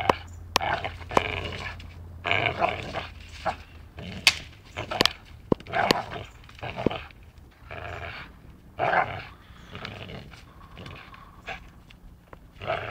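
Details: Dachshund at play, biting, with growly harmonic vocal bursts between sharp clicks and thumps, sounds coming in irregular clusters across the recording.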